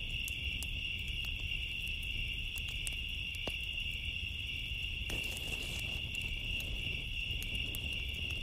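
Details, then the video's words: Crickets on a summer night keep up a steady, high, unbroken trill beside a crackling bonfire; sharp pops of burning wood snap through, with a burst of louder crackle midway and a low rumble underneath. "Summer Nights Sounds, Cricket Noises With Fire Crackling"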